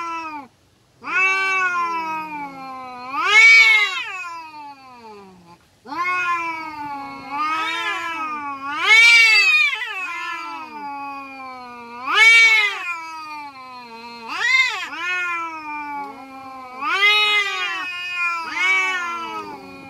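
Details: Village cats fighting, a long run of drawn-out wailing yowls that rise and fall, swelling into loud peaks about every two to three seconds, with strong harmonics and short breaks between cries.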